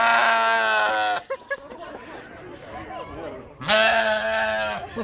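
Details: Sheep at the Kraków Zoo, recorded 4 June 2015: two long, steady, buzzy bleats of about a second each, separated by a pause filled with quiet human talk.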